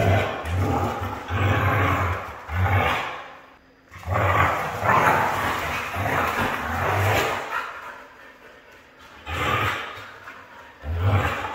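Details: Red female Siberian Husky producing a series of rough, drawn-out grumbling calls in several separate bursts, each lasting a second or two with short pauses between, over a steady low background hum.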